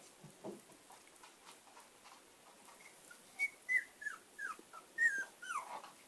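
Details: Shiba Inu puppy, between 5 days and 6 weeks old, recorded in 2016, giving a run of faint, high-pitched squeaky whimpers that start after about three seconds of quiet and come in short rising-falling bursts.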